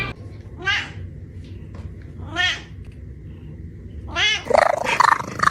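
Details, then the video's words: Cat giving three short, rising then falling meows about every two seconds over a steady low hum, ending in a louder, rougher burst of sound. "funny cat sounds"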